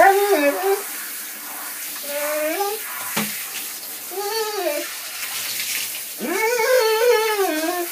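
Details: Dog singing: a series of wavering, rising and falling howled notes in four phrases, the last longest and loudest, with a brief knock in between.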